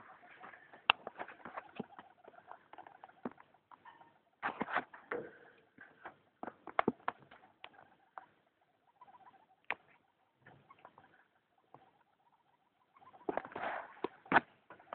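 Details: Indoors at night, a female pet hamster gives newly begun weird noises: dense runs of sharp clicks and rustling patter over a thin, steady squeaky whine, pausing briefly before another busy burst near the end.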